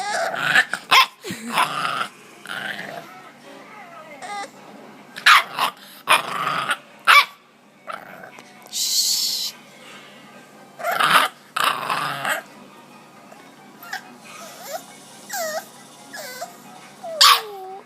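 A bulldog puppy growls in rough, raspy bursts, mixed with yips and high whines.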